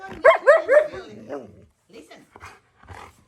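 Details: Wulf, a husky malamute kept as a pet, talks back while being told off: three quick rising-falling yodelled whines, then softer broken grumbles trailing away, with a woman's voice speaking around him.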